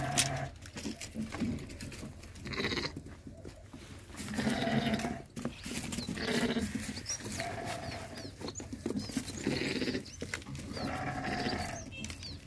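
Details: On a farm where sheep mate with goats, repeated quavering bleats rise and fall over a steady low rumble, several separate calls spread across the recording with brief gaps and scattered knocks.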